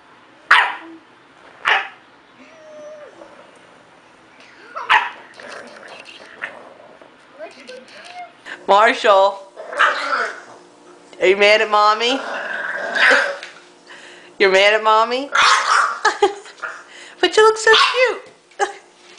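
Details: Dog vocalising indoors, with wavering, harmonic howl-like calls in bursts between about nine and eighteen seconds, preceded by scattered sharp sounds. Human voices talk over and between the calls.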